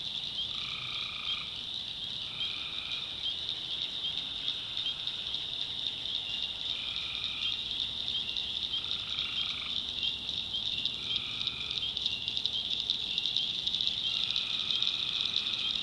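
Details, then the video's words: Tree frogs calling at night in a swamp in the backwoods of North Carolina: drawn-out, two-toned notes repeat every second or two over a dense, unbroken high chorus of frogs and insects. "Relaxing Swamp Sounds at Night - Frog Heaven - Frogs"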